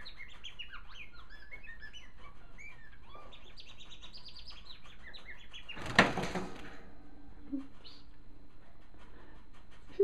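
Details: Caged male African silverbill finch singing while hopping on his perch: a rapid, jumbled twitter of short high notes sliding up and down. Midway a loud clattering crash as the perch gives way, then near-quiet with a few faint notes.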